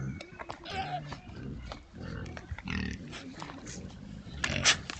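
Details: Sounder of rare breed Oxford Sandy and Black pigs recorded by a trail camera in woods: overlapping low grunts with brief squeaky bursts, a sharp squeal near the end, and rustling throughout.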